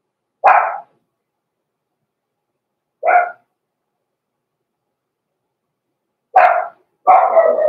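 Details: Blenheim Cavalier King Charles Spaniel puppies, born November 14, 2022, in a home puppy pen: spaced single barks, then two close together, the last one longer and slightly ragged, with silence between.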